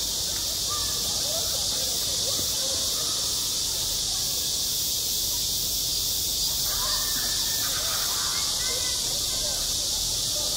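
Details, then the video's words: High-summer cicadas on a school sports ground: a continuous searing high drone that never breaks, with soft far-off voices faintly audible below it. "한 여름 운동장에서 매미가 울고 있다"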